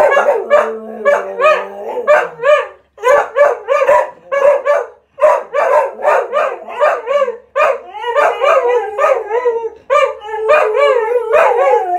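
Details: Cocker spaniels singing together indoors, a dense stream of yelping, wavering howls with rising and falling harmonic notes, overlapping voices pulsing in quick bursts with brief gaps.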